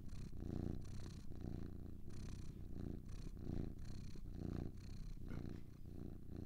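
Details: Soothing purr from two cats: a rich low vibration with breath-by-breath pulses, each exhale brightened by a gentle airy hiss, the rumble continuing without pause.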